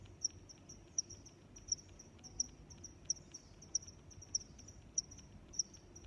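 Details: Cricket chirping: short, high, sharp chirps repeated steadily about every two-thirds of a second, nine in a row, over a soft low background hiss.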